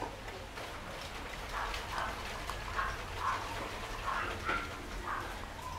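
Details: Pure white Shih Tzu puppies, 13 days old, give thin, high whimpering squeaks, repeated about twice a second.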